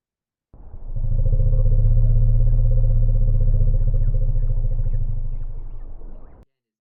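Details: An African savannah elephant (Loxodonta africana) gives a long, very deep, thunder-like rumble, steady for about six seconds; most of its low frequencies are not audible in playback.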